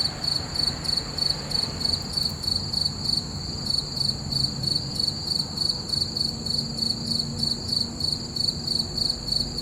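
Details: Full-moon night with crickets calling, a bright, regular, high chirping of roughly three pulses per second continuing without pause above a quiet background drone.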